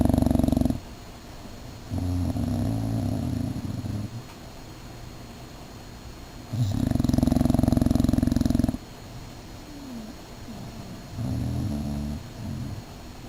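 An English Bulldog snores in loud, rumbling, rasping breaths that come every few seconds.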